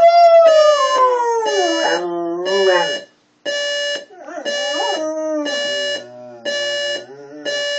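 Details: Pet dog Sophie answers a beeping alarm clock with a long, falling howl, then shorter wavering and whimpering notes, while the clock's evenly spaced electronic beeps continue behind her.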